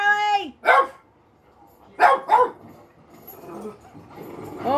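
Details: Pet Boston Terrier/Pug mix Bugg reacting to dogs on television: a drawn-out falling whine opens, then three abrupt barks, the last two close together, followed by low indoor murmur and rising noise.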